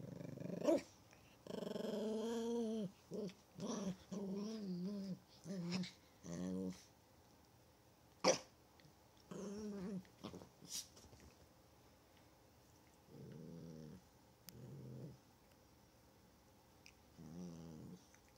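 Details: Chihuahua at play indoors, giving a run of tonal, wavering growl-whines with bark-like onsets in the first seven seconds, then sharp clicks and a few softer drawn-out growls later.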